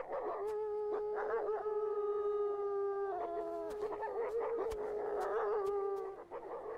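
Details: Gray wolves of Yellowstone's Druid pack in the Lamar Valley howl as a rival pack challenges their western border: several long, steady, tonal howls overlap, some holding level and others sliding downward or wavering, with short yips mixed in.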